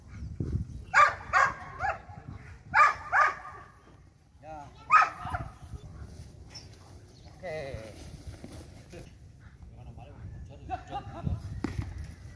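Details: Belgian Malinois in light training, giving bursts of sharp barks in pairs and singles over the first five seconds, then quieter stretches with faint voices and whining sounds.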